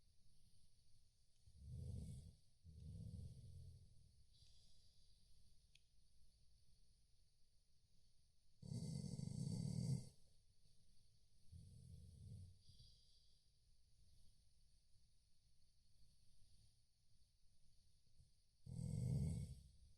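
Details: Dozing Chow Chow with an irregular run of snores: a pair of short grunting snores early on, a long loud rumble near nine seconds, a softer snort after, and another strong snore at the end.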